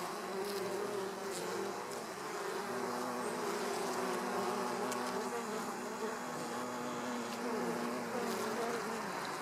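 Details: Hornet feeding on a honeybee at the hive's flight entrance, with a dense, unbroken insect drone of several stacked humming tones that rise and fall gently and brief sharp ticks throughout.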